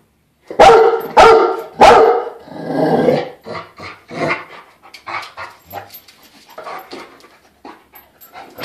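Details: A Rottweiler that hates the floor jack lets out three deep, harsh barks at it in quick succession, then falls quiet amid clattering.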